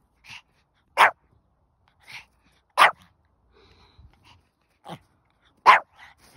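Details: Pomeranian puppy born in August 2021, left home alone, giving sharp, high yapping barks spaced irregularly about one second apart, some loud and some softer, with a person saying "come on" just before.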